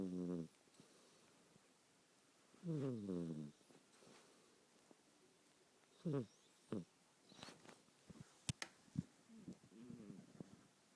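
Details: Old female cat, at least 18 to 20 years old, snoring while asleep, a habit begun with age; a few short raspy, buzzy snores spaced seconds apart, the longest near the middle, then soft clicks and rustles in a quiet room.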